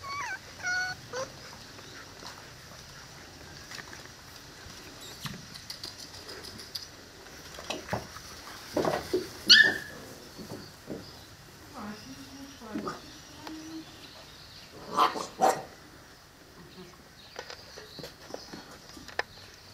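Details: Seven-week-old Presa Canario and Cane Corso puppies together: scattered short, high whimpers and yips, some in quick pairs, with quiet gaps between and a soft background hiss.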